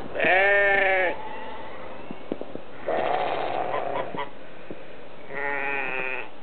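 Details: Sheep give loud, wavering bleats, three long calls about two seconds apart, with clicks and knocks, as sheep and geese clamour for feed at a croft around 8:30 am on 20 March 2008, the first day of spring; a rooster and red-winged blackbird are also present.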